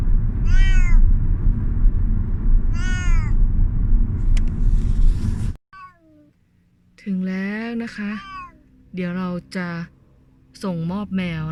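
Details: Thai Korat cat, 14 years old, at the vet; two clear arched meows over low rumble, then in a quieter room a series of longer, strained wailing meows in close bursts.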